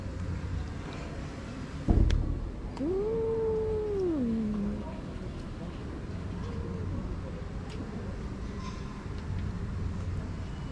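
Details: Stray female cat, grumpy and aggressive, utters one sustained level yowl that drops at its end, followed by a faint short mew. A sharp thump comes just before, with low background rumble throughout.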